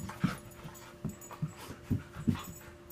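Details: Two pet dogs at play: Ava, a five-year-old shepherd mix adopted as a pup, and Ainsley, a two-year-old rescued husky. Short, breathy, low bursts come about five times in three seconds over a steady indoor hum.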